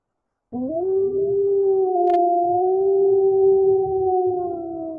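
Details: Lone wolf howl starting abruptly, climbing briefly and then sustained as a steady, slightly wavering tone through the rest of the clip; presented as a real recording in 8D sound.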